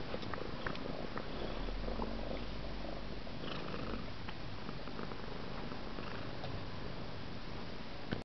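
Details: Bob, a domestic cat, purrs indoors while Cosmo the kitten helps brush him; a steady low rumbling purr runs throughout, with soft rustling and small clicks from the grooming and a brief knock at the end.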